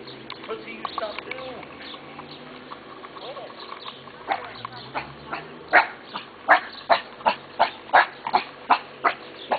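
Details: Friendly dogs next door barking each time they see someone: mixed low chatter and faint sounds at first, then from about six seconds a regular string of loud barks roughly every half second.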